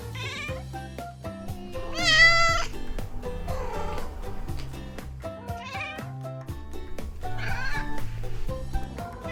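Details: Household Munchkin and Maine Coon cats meowing, a strong wavering meow near the two-second mark and several softer, shorter mews after it, all set against looping background music.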